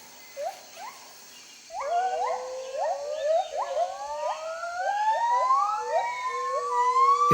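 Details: Territorial song of white-handed gibbons competing with neighbouring groups: a few soft whoops, then a loud accelerating series of rising notes climbing steadily in pitch into long sliding wails over a sustained tone.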